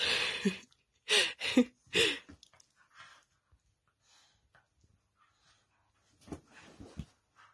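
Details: A female corgi playing tug-of-war with her dog bed gives short, rough, breathy bursts of growly sound in quick succession, with a woman's voice nearby.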